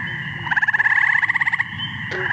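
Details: Eastern gray tree frog calling, a sound compared to a red-bellied woodpecker; the species usually calls at night, when much of its courting happens. One pulsed, musical trill lasts about a second, followed by a brief faint click.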